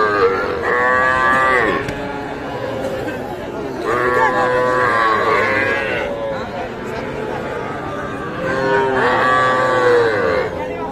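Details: Small bulls and heifer calves for sale at the Ambari cattle haat in Dinajpur district, Bangladesh, 24 May 2024; three separate bellowing moos, each lasting one to two seconds and spaced several seconds apart, over a steady murmur of buyers and sellers.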